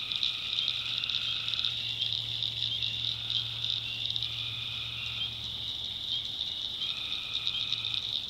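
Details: Tree frogs at night in a North Carolina swamp give sustained trills lasting a second or more, spaced a few seconds apart. A continuous high buzzing chorus fills the background and a low hum runs throughout.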